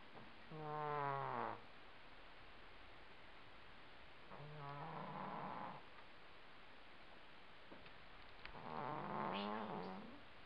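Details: Housecat asleep indoors, snoring loudly: three long buzzy, harmonic snores, each about a second or more, spaced roughly four seconds apart in a quiet room.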